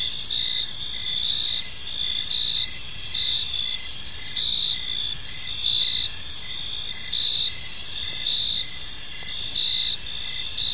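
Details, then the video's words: Crickets in a peaceful park at evening produce continuous high-pitched chirping, pulses recurring roughly every second above a steady shrill background trill. "Cricket Sounds in a Peaceful Park"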